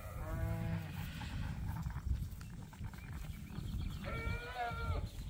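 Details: Ewes released onto pasture on a farm in the morning, near two ewes fighting; two separate quavering bleats, one at the start and one near the end, over steady low wind rumble.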